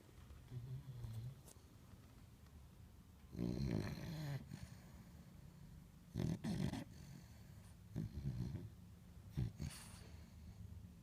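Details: French Bulldog snoring indoors: low, rough rumbling breaths in irregular bursts, three louder snorts near the middle and end, with a soft hum in between.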